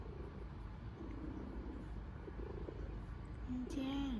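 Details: A pet cat kneading vigorously on a blanket while purring loudly: a low, steady, rumbling purr runs throughout, with a brief voiced sound near the end.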